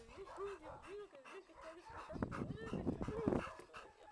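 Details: Grand, a six-year-old male Golden Retriever at an animal shelter awaiting adoption, gives a string of short, arching nasal whines and yips, several in quick succession, over human voices and clattering knocks.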